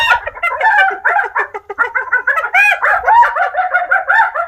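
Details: Rapid giggling hyena calls, quick staccato notes tumbling out several per second with small rises and falls in pitch, a steady cackling run throughout, nothing else heard.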